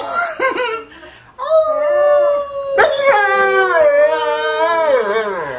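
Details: Pet dog howling together with a singing woman: a short yelp, then long sustained wavering howls overlapping a second voice, rising and dipping in pitch.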